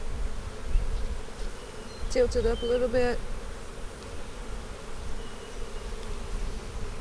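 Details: Low, continuous drone of honey bees at an opened hive during an April 15, 2017 inspection of a split made March 4. A short higher tone rises briefly above the hum midway through.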